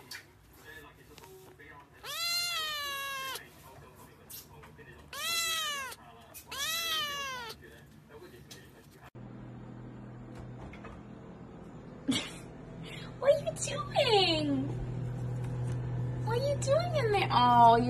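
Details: Indoor Siamese cat talking while playing: three loud, arched, harmonic meows in the first seven seconds, then a quieter stretch with low hum, a woman speaking, and later shorter downward-sliding meows near the end.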